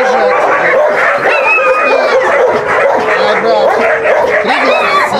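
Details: Dogs at a husky kennel, visited for recall training in the huskies' presence, raise a dense chorus of overlapping yips, barks and drawn-out howling tones, many voices at once with no pause throughout.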